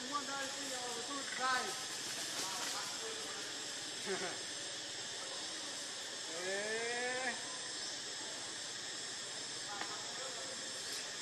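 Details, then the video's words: Baby monkey Lucie, pitiful and hungry, cries to be given milk. Several harmonic, arching wails come in separate bursts near the start, around four seconds and around seven seconds, over constant hiss. "Lucie Very Pitiful Need Milk Crying"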